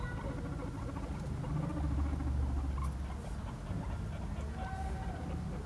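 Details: Five guinea pigs chase each other in a follow-the-leader game, giving soft, rapid, repeated low calls over a low rumble and nearby speech.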